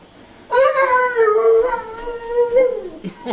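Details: Pet pit bull vocalising at home in a 'talking' manner: a sustained, wavering howl of about two and a half seconds, rising briefly near the end before breaking off. A few faint clicks and a short noise follow.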